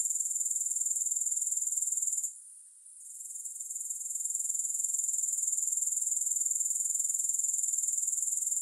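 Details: Grasshoppers chirring without music: a steady, very high-pitched buzzy trill of fast, even pulses that drops out briefly after about two seconds, then swells back to full strength.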